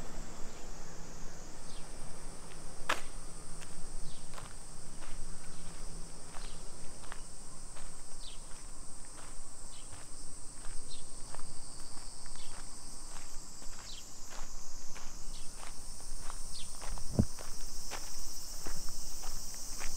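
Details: Summer cicadas in a Nisshin city neighbourhood near Nagoya, Japan, 2 PM, 28 July 2021. A high buzzing drone carries on continuously and shifts slightly in pitch twice, while regular footsteps tap along the street below it.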